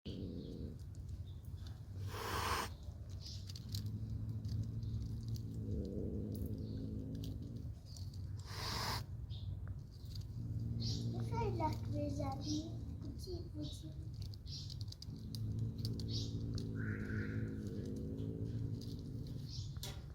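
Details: Mother cat nursing her kittens: a low, steady rumbling drone runs through most of the stretch, pausing briefly around the middle, with occasional faint high squeaks and short clicks above it.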